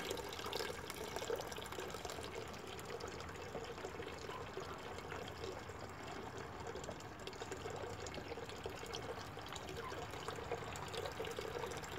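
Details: Steady running or pouring water fills the clip, with faint voices underneath and no clear animal calls.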